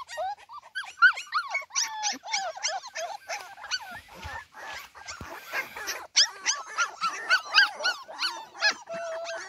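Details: Young Cardigan Welsh Corgi pups alone in a garden, mother absent, producing a busy stream of squeaky yelps and thin whines, a short lull in the middle before the crying resumes strongly.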